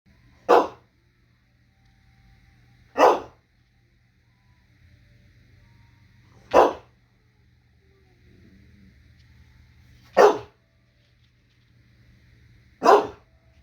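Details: A small dog that won't share its food barks five times. Each bark is short and sharp, and they come at steady gaps of about three seconds against a quiet room with a low hum.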